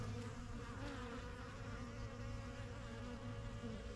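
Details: Brief stretch of honey bee hive ambience from a backyard yellow hive begun in spring 2023: many bees buzzing together in a warm, low, steady hum, individual wingbeats wavering in pitch.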